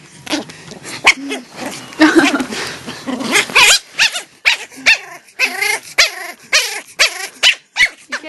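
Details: Pomeranian puppy in a playful mode its owners call "Gizmo mode", letting out loud squealing growls and short high yaps in rapid repeated bursts, with a person speaking briefly at the start.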